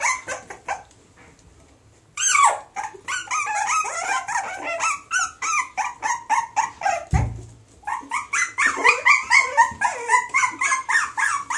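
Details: Springer Spaniel and Jack Russell cross, offspring of a female Springer Spaniel and a male Jack Russell, giving rapid overlapping high yips and squeals after a short quiet start, with a brief low thump midway.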